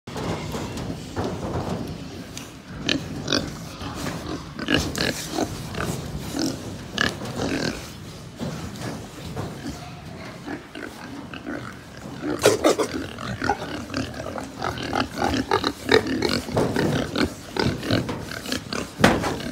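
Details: Many pigs on a farm in Japan, a dense chorus of short overlapping grunts and snorts with occasional louder squeals, busy barn noise throughout.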